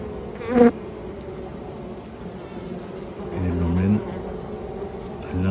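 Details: Honey bees at their hive defending against a European hornet trying to enter, surrounding it completely and dragging it inside; low buzzing hum with a short loud burst early and a steadier harmonic drone near the end, with a man's voice talking.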